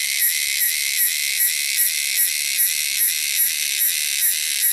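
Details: Wild cicadas in their native wilderness keep up a piercing, shrill drone, throbbing in regular beats roughly two or three times per second, with nothing else audible.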